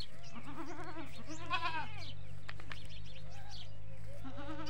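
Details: Goats and young goats (desi bakri) on a goat farm bleat in wavering, quavering cries over a steady low hum.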